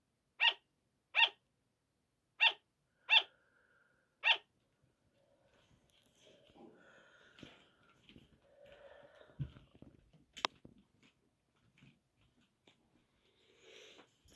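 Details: Sugar gliders barking at night, waking their keeper at five in the morning: five quick high yaps in the first seconds, then quiet rustling, shuffling and soft handling noises indoors.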